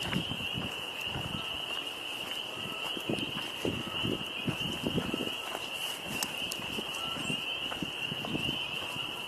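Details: On a windy 26 April 2025 by a pond, a dense frog chorus forms a steady, high-pitched trilling drone throughout, with footsteps and handling noise thumping underneath.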